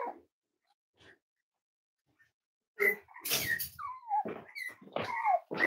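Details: Cavalier King Charles Spaniel puppies, five weeks old, from Myra and Remy's litter, handled indoors for weight checks; thin, sliding whimpers dropping in pitch, with rustling and handling noises in a small room.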